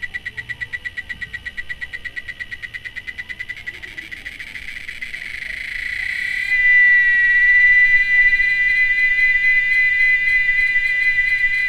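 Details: Cicada song: a rapid, regular train of buzzy pulses for about six seconds, swelling louder until it merges into a steady, continuous shrill drone with a pure whining tone on top.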